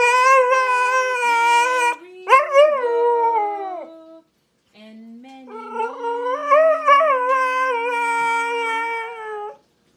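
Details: A one-year-old Siberian husky howls in long, wavering, rising and falling notes over a low, steady accompanying tone, as if singing Happy Birthday.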